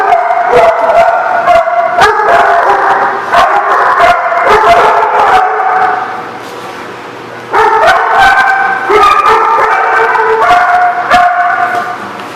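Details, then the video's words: Dogs barking on April 28, 2014: a dense, continuous chorus of overlapping harsh barks and yips with no pauses, briefly quieter for a moment in the middle before the loud barking resumes. "The Barking Lot"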